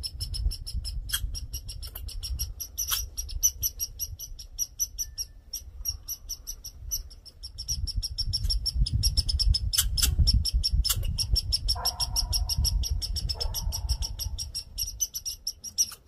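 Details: Annoyed red squirrel making a fuss: long bout of fast, staccato chattering notes running steadily for sixteen seconds, with brief nasal buzzes near the end and a low rumbling backdrop that swells midway.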